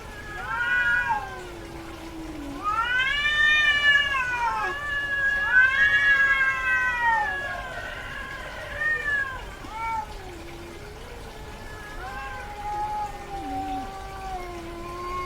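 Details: Female domestic cat in heat calling persistently: long wavering yowls rising and falling in pitch, several drawn-out cries in close succession with lower moaning tones between them.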